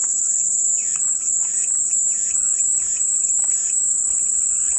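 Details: Soothing cicada sound used as white noise: an even, piercing high buzz that never pauses, accompanied by soft rhythmic warbling pulses from other creatures in the background.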